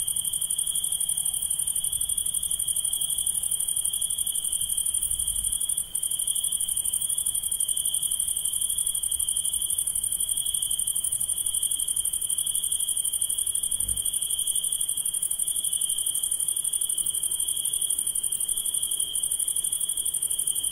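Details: Nighttime insects keep up a continuous high, rapidly pulsed trill and a piercing upper buzz. A couple of brief low thumps are the only interruptions.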